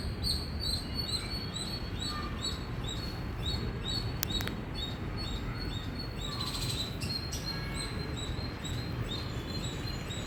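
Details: Loud chirping from an Indian squirrel: thin, high notes repeated rapidly and evenly for about ten seconds, with a sharp click-like burst partway through and steady low rumble beneath.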